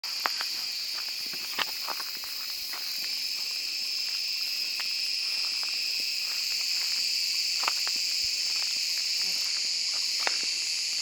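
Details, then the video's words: Large cicada (Cicada sp.) singing in summer woodland as the day heats up, Mediterranean region of Turkey; a steady, unbroken high-pitched buzzing drone holds throughout, with faint scattered clicks and ticks beneath. "Ağustos Böceği sesi - Cicada voice"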